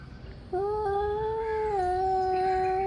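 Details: Angry male cats warming up before a fight: after a half-second of quiet, one long, steady, drawn-out yowl with rich harmonics holds nearly level, dipping slightly in pitch midway and continuing to the end.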